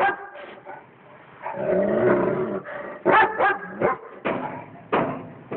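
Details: Friendly house dog barking at a cat it lives alongside: a sustained whining growl rising into a string of loud, sharp barks spaced roughly half a second apart.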